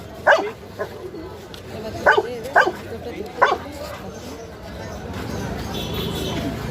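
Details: Dog barking, four sharp single barks spaced over about three seconds, then steady background hum while a person gives commands like jump and sit.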